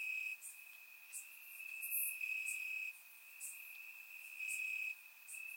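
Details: Crickets chirping in grass on a warm summer night in Bulgaria, recorded with a surround microphone: a steady high trill runs throughout, with brighter, sharper pulsed chirps from other crickets breaking in every second or so.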